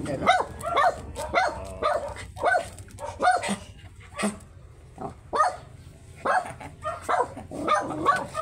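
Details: Very small Shih Tzu at a stud session in Pangasinan, giving a run of short, sharp barks and yips, roughly one or two each second with brief pauses, while people talk quietly in the background.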